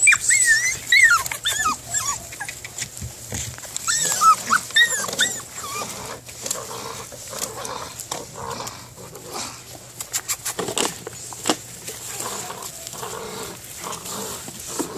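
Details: Male Belgian Malinois puppy aged six weeks, from KNPV working lines, in a bite imprinting session; wavering high-pitched whines and squeaky yelps in bursts during the first five seconds, then rough growly noises amid tugging and scraping sounds.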